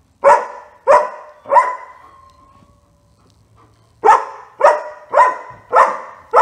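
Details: Otto, a German Shepherd in training, gives three quick barks, falls quiet for about two seconds, then resumes with a steady string of loud barks spaced about half a second apart.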